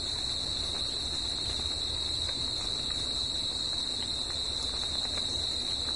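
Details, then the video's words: Continuous nocturnal cricket singing: a bright, uninterrupted high trill at even volume, paired with a weaker higher band, set against a low steady background murmur. "CRICKETS AT NIGHT"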